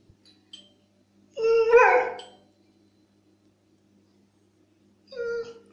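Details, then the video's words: Pet dog responding to a squeaky toy sound with a short tonal whine that bends upward, followed after a pause by a brief second whimper in a quiet room. "Собака разговаривает. Реакция на звук пищащей игрушки"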